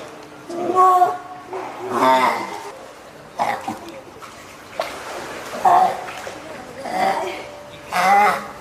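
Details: Loud bleating cries from a hand-reared female spotted seal pup at Oga Aquarium, Japan, May 2017, possibly hungry, wanting onto land, or calling its keeper; several short wavering wails about a second apart, with people talking throughout.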